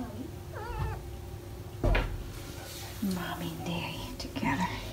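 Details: Indoor British Shorthair family, with parents Ted and Chloe and four kittens nearly five weeks old at play; a quick wavering meow early on, a thump, low human voices, then another short meow near the end.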